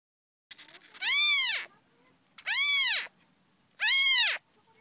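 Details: Young kitten whose eyes are just beginning to open, calling with three loud, high, clear meows, each arching up then falling, about a second apart, in an otherwise quiet room.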